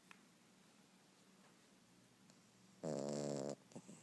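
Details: A sleeping Yorkie on a couch gives one short, harsh snore of under a second with a layered buzzing tone. Quiet, steady breathing comes before it and a couple of faint snuffles follow.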